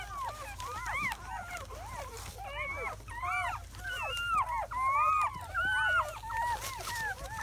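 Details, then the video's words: Only hours after birth in May 2017, seven German Shepherd pups keep up a chorus of thin, bending squeals, some long and drawn out, others quick chirps, packed closely with barely a pause. "The sounds of 7 newborn German Shepherd Puppies"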